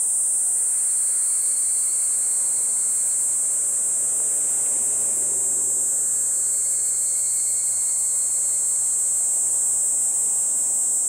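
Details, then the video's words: In woodland at Kejonuma, a Kaempfer cicada sings a steady, very high, hissing drone without a break, as cicadas including higurashi begin calling. "ニイニイゼミ"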